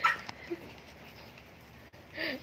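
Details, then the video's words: Mini Dobermans and Shih Tzus in a scuffle indoors: a sharp high yelp opens, a faint squeal follows, then quiet until a short wavering whining cry near the end. "Nagkagulo Ang Mga mini doberman at ang mga Shihtzu"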